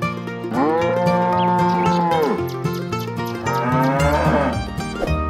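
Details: Qurban sacrificial cattle on their way to slaughter give two drawn-out, slightly rising-then-falling moos over continuous plucked string music with cowbell-like clinks.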